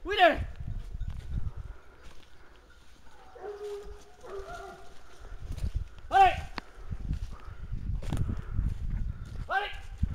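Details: Hounds keep a wild boar at bay with three sharp, ringing bays spread across the stretch; between them come low murmuring sounds, trampling and rustling outdoors.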